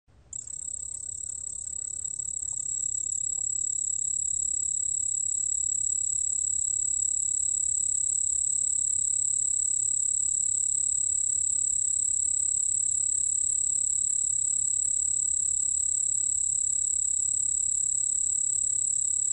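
A white-whiskered bell cricket gives a high, continuous, finely pulsed trill that holds steady throughout.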